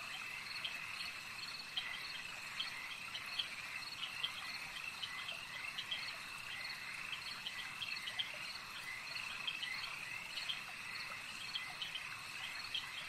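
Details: Frogs calling at a lake in a dense, unbroken chorus of high trilling notes, with many short clicks and chirps overlapping throughout and a steady insect-like buzz beneath.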